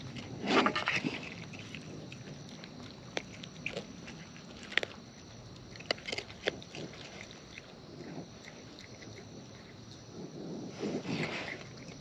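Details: Wild raccoons eating at close range: wet, irregular chewing with sharp crunching clicks about three times a second, and louder rustling bursts near the start and end over a steady background hiss.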